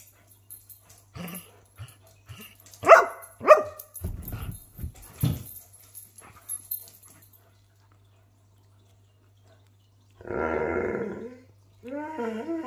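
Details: A Greyhound in Australia barks in short, ringing bursts at irregular intervals to seek attention, with softer whimpering notes between; near the end come a wavering roo-like vocalisation and a person's voice. It lives with a Doberman, and the two "talk" to each other.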